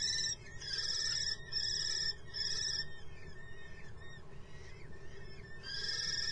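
A mouse gives high, thin squeaks, four drawn-out ones in quick succession, then a pause and one more, over a steady low rumble.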